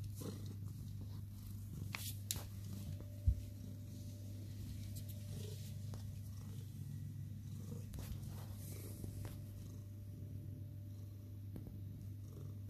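A Sphynx cat purrs steadily, a low, even rumble with no clear meow.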